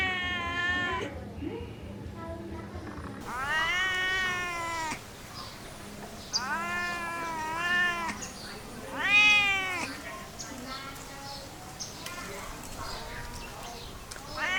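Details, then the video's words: Cat producing several wavering meows of varying length, some bending upward at the end, over steady background hiss and low hum. "Cat sound effect"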